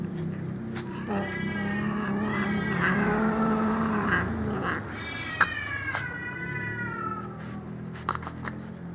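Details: A cat calls while a black cat eats fried fish; long wavering harmonic meows, one drawn out for about three seconds, then a second sliding meow, with a few sharp clicks and low hum beneath.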